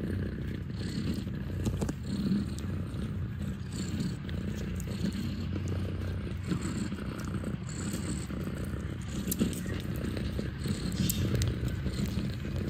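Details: Kittens nursing from their mother at Catfe, a cat cafe in Ho Chi Minh City, Vietnam; a steady, low, rumbling purr runs unbroken throughout with faint soft rustles on top.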